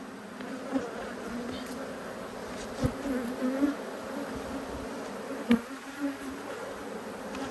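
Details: Honey bees from two top bar hives in Australia, cross at being inspected by a beekeeper, March 2022; a steady droning hum near 250 and 500 pitch bands with brief louder buzzes of single bees passing close.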